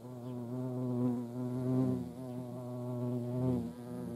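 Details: Hornets at a feeding place with ants in Dohr, Eifel, humming steadily in a low droning buzz with stacked harmonics that swells and fades as insects move near and away.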